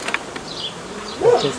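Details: Honey bees from a swarm with queens from the previous year or older, tended by a hobby beekeeper on 18 May 2018; a low humming buzz swells and bends as a bee passes close near the end, over steady background hiss.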